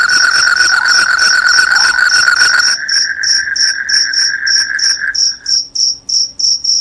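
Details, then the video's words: Crickets chirping loudly; high, clipped chirps repeat rapidly throughout, overlaid by a steady, lower, ringing pulsed trill that stops near the end, leaving only the quick, sharp chirp series. "SUARA JANGKRIK PENGUSIR TIKUS, JANGKRIK JANGKRIK SUARA NYARING BIKIN NGANTUK."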